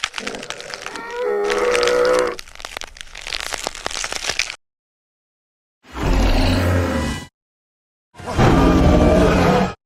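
A hippopotamus gives harsh, wheezing honks followed by two deep, booming grunts separated by silence.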